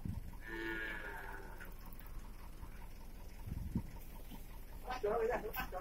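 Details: Beef cattle being transferred from Batu Class I prison to Nusakambangan Class IIB open prison in Indonesia, for the prison's industry programme: one drawn-out, harmonic moo lasting about a second, followed by clattering handling noises and a brief voice.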